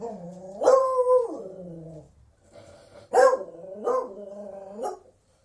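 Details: Beagle voicing a long, wavering howl-bark that slides down and trails off, then three sharp rising yelps in quick succession, each dropping into a brief moan.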